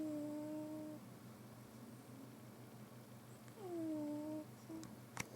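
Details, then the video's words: Cat deep in sleep indoors, making strange noises; a steady low rumbling snore throughout, overlaid by two drawn-out whistling tones, the second sliding downward, and a brief click at the end. "Billi the Snoring Cat."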